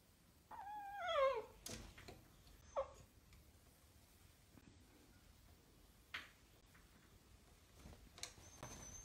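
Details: Miniature Dachshund indoors giving a short, high, wavering whine that slides downward with bright overtones, then a few faint squeaks and soft thumps in a quiet room.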